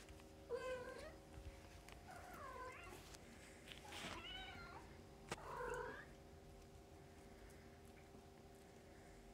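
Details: A litter of fostered kittens born in early October, indoors with their mother while nursing and playing; four high, bending mews come roughly every one and a half seconds, with soft rustling and light taps between them.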